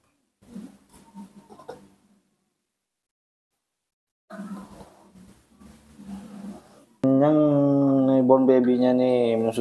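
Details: Hungry newborn baby monkey kept at home, calling for milk: a loud, sustained, harmonic scream at the end, after soft Indonesian speech from a woman coaxing it with its milk.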